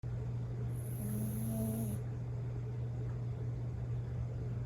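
A sleeping Bichon Frise snores with a low, steady rumbling drone.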